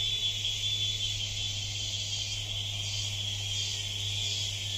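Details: Steady shrill cicada chorus in the jungle, continuous high buzzing with slight pulsing swells toward the end, above a persistent low hum.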